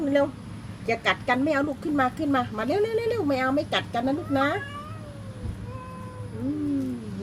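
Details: Cats threatening each other. They give drawn-out, wavering, nasal yowls in a rapid series of rising and falling notes, with short pauses between them. The calls trail off into quieter drawn tones. A woman talks soothingly in Thai in the background.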